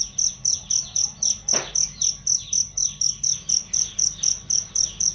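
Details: Cricket chirping, recorded as loud, clear training sound for songbirds; high, piercing pulses repeat steadily about four times a second, with faint swooping bird-like notes underneath and a brief low thump midway.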